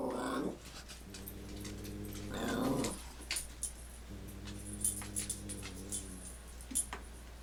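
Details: Dogs squaring off indoors: a sharp yelp, then long low rumbling growls lasting about two seconds each, separated by short pauses, with light clicks and scuffling.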